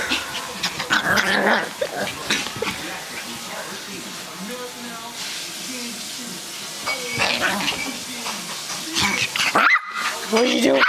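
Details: Pomeranian puppy going crazy indoors, letting out short sharp yips and barks in quick irregular bursts, with pauses between flurries and human voices mixed in.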